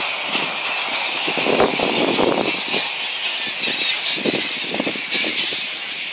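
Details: Flying-foxes (megabats) at Boonah, Queensland, Australia, recorded 2 January 2014: harsh squealing and chattering bursts rise and fall irregularly over a steady, high, hissing wash of background sound.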